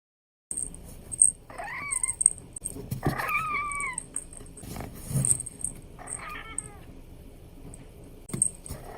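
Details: Abyssinian kitten meowing while playing: three short, bright meows with clear rising-then-falling tones, spaced a few seconds apart. Faint high tinkling and light handling noises sound in the background.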